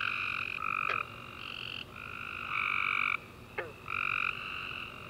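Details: After a warm rainy summer day, tree frogs chorus at night in overlapping buzzy trills that shift slightly in pitch from caller to caller, broken by two brief descending chirps.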